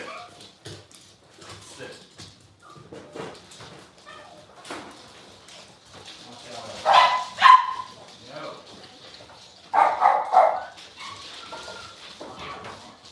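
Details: Six-week-old Cavalier King Charles Spaniel puppies in an indoor puppy pen while being dewormed and having toenails trimmed; soft murmuring and shuffling give way to two bursts of sharp, high yelps around the middle, over quiet human speech.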